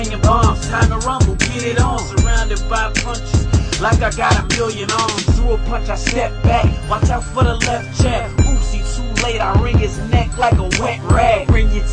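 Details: Hip hop beat with rapping and heavy bass plays throughout, no animal heard.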